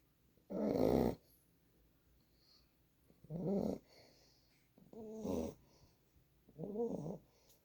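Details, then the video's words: Nine-week-old Boxer puppy named Gizmo asleep on a lap, giving four raspy, buzzing snores spaced about two seconds apart, some with a nasal whistling edge, in a quiet room. "Boxer puppy Gizmo snoring"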